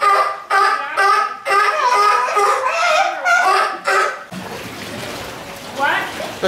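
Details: Sea lion Maggie letting out a steady run of loud, rasping barks, evenly spaced about twice a second, which stop abruptly after four seconds, giving way to splashing water and background noise.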